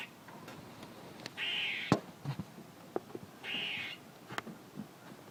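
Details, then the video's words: Squirrel uttering two drawn-out, harsh buzzing calls about two seconds apart, mixed with sharp clicks and handling knocks. "A squirrel making noises"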